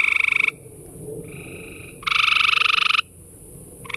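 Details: Gray tree frogs calling in a chorus, with loud, rapidly pulsed, ringing trills of about one second answered by a quieter, more distant frog trilling in between.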